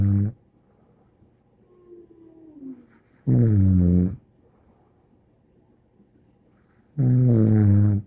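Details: Bear, a dog, snoring in a small indoor room: deep, low rumbling snores with a harmonic buzz, each lasting about a second and returning roughly every three to four seconds, with quiet breathing between.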